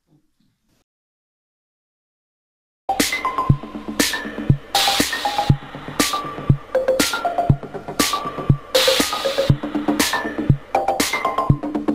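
Nearly three seconds of silence give way to electronic music with a steady drum-machine beat and no animal sounds.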